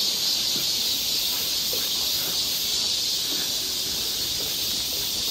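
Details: Many cicadas sing together in summer woodland at Galsan Park, Seoul, South Korea. The hissing, shimmering wall of sound holds a constant high pitch throughout, with faint ticking beneath it.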